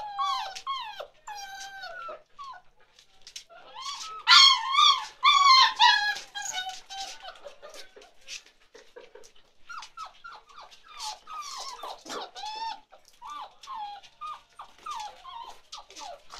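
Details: Several 47-day-old chocolate Labrador Retriever puppies whimpering indoors: overlapping high, wavering whines and squeaky yelps, louder cluster in the middle, continuing as rapid short cries throughout.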